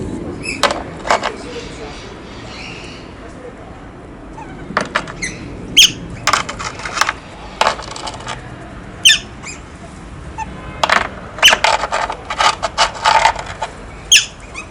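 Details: Otters playing with stones, giving a few short high squeaks between bursts of sharp clicking knocks as the stones strike, with quiet gaps between the louder sounds.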